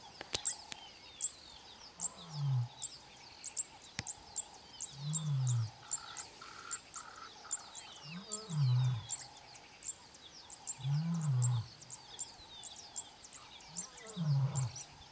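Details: A very young male lion of the Mbiri pride gives deep, low moaning contact calls every few seconds at sunrise near the camp, seeking the rest of the pride, with birds chirping behind.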